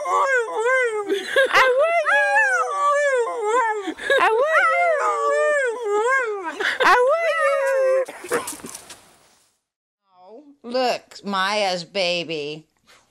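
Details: Siberian Huskies singing the woo woo woo, a run of wavering, pitch-bending howls repeated in quick succession for eight seconds, then a quiet gap and a few short rising whines; a person speaks faintly.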